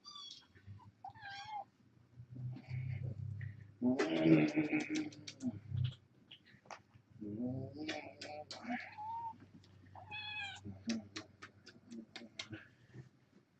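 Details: Foster kittens, four girls and two boys born August 29th, on the evening of 10-31 while a webcam is being replaced. Several short, high meows at the start and later, with human speech and rustling in between.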